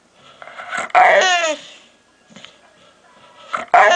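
A dog gives odd, strained whining yowls, rich in harmonics, with a pause between two bursts.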